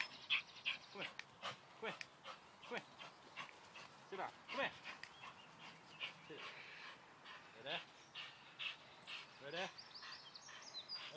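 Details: Dog jumping up a tree outdoors gives short, sharp barks in an irregular run, roughly three a second, some with brief rising-falling tones, while a man repeatedly calls it to come here and sit.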